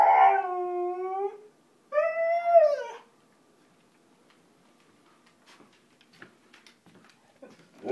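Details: A male Siberian Husky begs for his breakfast with two long, wavering howls, each holding pitch, the second rising then falling, before sliding down, followed by soft scuffling. Siberian Husky.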